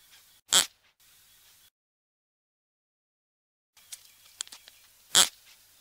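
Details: Klipspringer uttering two sharp, puffing snort bursts about five seconds apart, separated by near silence and a few soft clicks.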